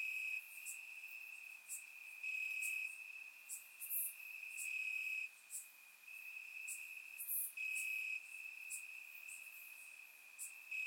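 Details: Crickets in grass on a warm Bulgarian summer night, captured by a surround microphone; a constant ringing trill is overlaid by repeated sharp chirps and swelling pulses from several insects, with brief quieter gaps.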